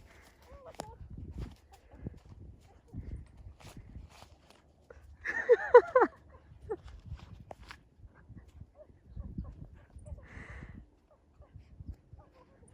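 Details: Gen-san, a grown rescue dog, gives one short, loud, harsh bark-like burst midway. The rest is quiet footsteps, low rustling and occasional soft speech.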